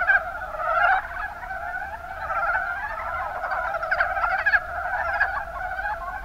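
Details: Chorus of Mountain brown frogs from the Kuma Basin in Kumamoto, Japan; numerous callers give rapid, throaty clucking croaks that blend into a steady churning din, with a few sharper notes standing out near the middle.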